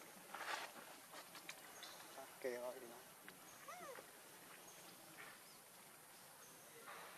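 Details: Hungry infant monkey named Leo begs its mother for milk with two wavering, harmonic whimpering cries, the second bending up and down, over a steady hiss and faint distant clatter.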